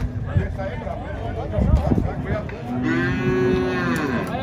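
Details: Ox loose at a cattle fair: crowd noise and knocks fill the first half, then a sustained, even-pitched moo rises clearly over the background.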